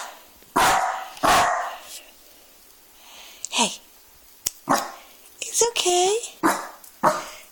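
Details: A young Dachshund that has just learned to bark gives a few sharp, guarding barks at his own reflection in a fireplace glass screen, mistaking it for another dog, wagging his tail while a woman speaks soothingly.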